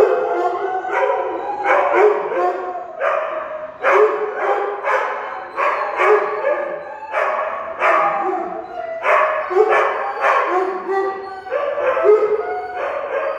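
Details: A Husky, a German Shepherd and a Weimaraner 'singing' in short, choppy woo-woo howl-barks, a burst roughly every second, with rising and falling pitch throughout.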